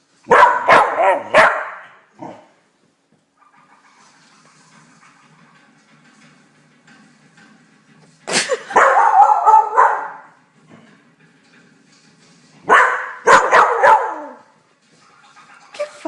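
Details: Blue heeler Australian Cattle Dog barking at the TV in three bursts of rapid, harsh barks, separated by stretches of quieter television sound with Italian narration.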